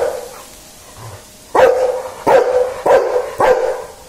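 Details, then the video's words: Quiet opening, then a dog gives four loud, abrupt barks spaced just over half a second apart, each short and punchy with a slightly tonal ring. "dog barking"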